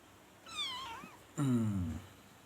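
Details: Persian cat kitten at a cat market in Khulna, Bangladesh, one with odd-coloured eyes: a high harmonic meow falling then wavering, followed by a lower, louder drawn-out meow; a man talks nearby.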